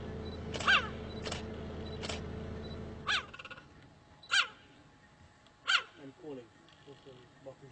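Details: Cheetah producing bright, yelping chirps, a few early ones over a steady low hum, then three louder ones about a second and a half apart, followed by softer chattering notes.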